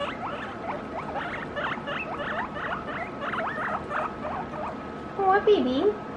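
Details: Guinea pig calling excitedly near feeding time: a fast run of shrill whistled squeaks rising and falling, packed closely for about five seconds, then a brief lower wavering note from a human voice at the end.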